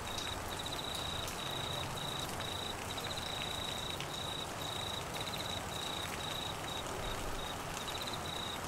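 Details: Crickets trilling through heavy monsoon rain in Queensland, Australia: a high, buzzy trill in clipped bursts with tiny pauses, set against a dense hiss of falling rain.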